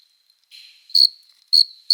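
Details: Summer-night chirping of an adult male cricket stridulating by rubbing its forewings to court females, in loud, shrill pulses about every half second over a steady high hum; Gryllus bimaculatus and Oecanthus species are named as summer singers.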